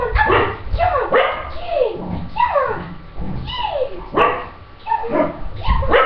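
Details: Pippa, a five-year-old female English Cocker Spaniel, barks excitedly during jump training, over-excited and jumping at her owner; loud, repeated sharp barks with falling yelps, a few every second, with thuds and scuffling in between.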